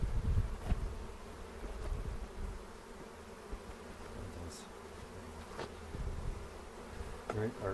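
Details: A colony of honey bees during an April 27 hive inspection near Cochrane, second of the 2018 season, filmed on a 360 camera. Continuous low humming buzz fills the clip, with knocks from handling the hive and brief voices near the end.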